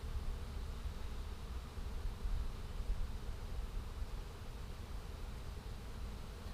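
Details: Swarm of small, probably feral honey bees pouring into a hole in a hive as they are caught: a dense, steady low droning hum of many wings with a soft rumbling undertone.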